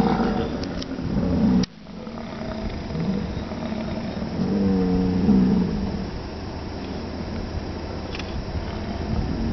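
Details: American bison calling at Wind Cave National Park on July 27: a low, rough, droning bellow lasting about two seconds, with a brief lower groan earlier, over a steady wind-like rumble and possible vehicle noise.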